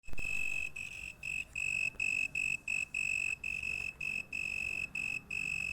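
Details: An insect heard at night sings a high, pure trilling tone broken into short bursts with brief pauses between them.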